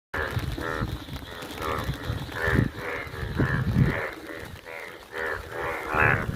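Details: Indian yellow bullfrogs, active in the rain, give deep, moaning, cow-like calls that overlap in a steady chorus through rainfall.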